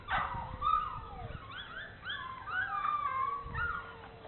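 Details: Bernese Mountain Dogs exploring: long, wavering high whines that slide up and down, several overlapping, with low rumbling background noise.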